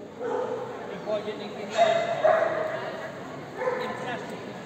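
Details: Short-coated Magyar Vizsla hunting dog at the CACIB Oldenburg 2023 show: a few sharp, ringing barks in quick succession, the loudest pair in the middle, set against a busy indoor background of people talking.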